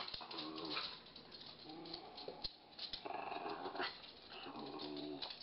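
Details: Schnauzer and Weimaraner playing together; rough, harmonic growls and grumbles come in several bursts across about five seconds, with a brief pause near the middle and a sharp knock partway through.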